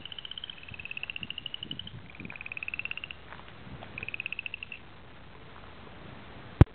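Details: Upland chorus frog calling at a pond: four rising, rapidly pulsed trills, each about a second long with short gaps between them, over a soft low rumble, ending with a sharp knock.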